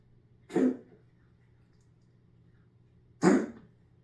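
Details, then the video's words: Domestic cat indoors making an odd noise: two short, harsh, breathy bursts like a cough or sneeze, the second about three seconds after the first, over a low steady hum in a quiet room. "My Cat Is Making a Weird Noise"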